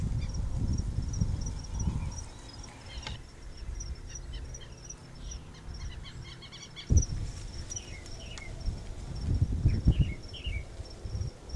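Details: A giant grasshopper (Tropidacris collaris) at São Miguel do Gostoso, Rio Grande do Norte, Brazil, stridulates: a high, thin, steady buzz broken by quick ticking chirps, over heavy low wind rumble and a few sharp knocks.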